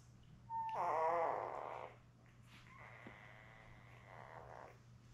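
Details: Newborn Labrador Retriever puppies, a litter of seven born May 24, 2021, with their mother Belle, indoors on a puppy cam on June 4. A long wavering harmonic whine lasts about a second, then a fainter, drawn-out second whine follows over steady low hum.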